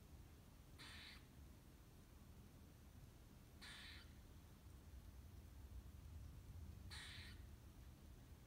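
A squirrel gives three harsh, raspy calls, each about three seconds apart, over a low rumble.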